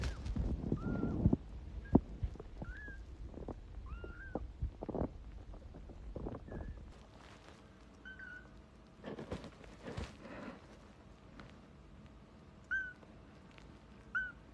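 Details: Kittens giving faint, thin mews, short rising-then-falling calls scattered through the recording, mixed with soft thumps, clatter and handling noise.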